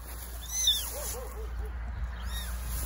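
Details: Abandoned baby kittens found meowing in the grass beside a dog shelter on a rainy day, before rescue: a high, thin arched meow, a fainter second cry near the end, and a woman softly calling "mic, mic" in Serbo-Croatian.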